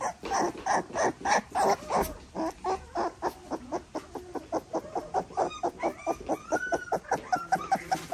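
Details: American Staffordshire Terrier puppies born 27 June 2023 in Hazel Green, Alabama, learning to walk and having nails clipped, whimper and squeak in a rapid, steady stream of short cries.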